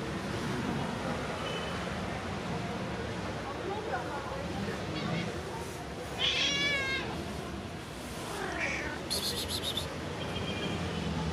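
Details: Friendly street cat greeting and demanding attention: a drawn-out, wavering meow in the middle, then a shorter rising meow, over a constant rumble of street traffic, with a brief high buzzy burst near the end.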